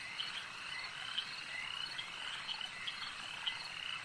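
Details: Frogs calling at a lake: a dense, steady chorus of high, rasping trills forms a continuous wall of sound, with a few sharper clicking notes standing out every half second or so.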